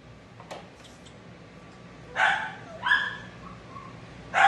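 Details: Shih Tzu being dried after de-matting, a dog with no tolerance for discomfort that bites from pain; a few short, sharp barks and yelps with a brief whine between them, over a steady low hum of a dryer.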